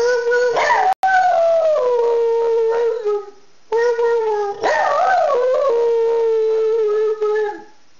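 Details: Pet dog named Wookie howling in a long tonal wail, holding a steady pitch with wavering rises and dips, two sustained howls of about three seconds each separated by a short pause.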